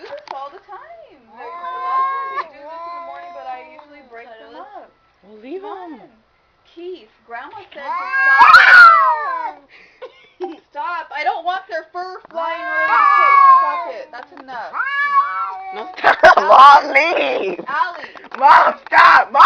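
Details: Domestic cats fighting inside a house give sliding, moaning wails back and forth, growing louder toward the end with harsher, noisy bursts like hissing or scuffling, while a person shouts at them to stop.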